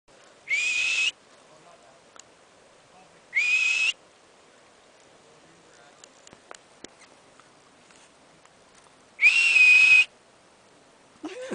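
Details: Confused marmot at Berg Lake, Mt Robson, Alberta, Canada, being talked to; three loud, clear high whistles, each about half a second, spaced irregularly over eleven seconds with quiet between.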